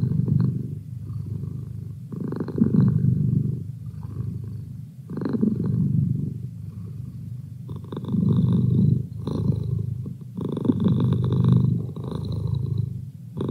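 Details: Merlin, a pet cat, purring steadily: a low rumbling buzz that swells and fades in breathing cycles roughly every two to three seconds, with louder inhale-exhale phases and brief quieter gaps between them.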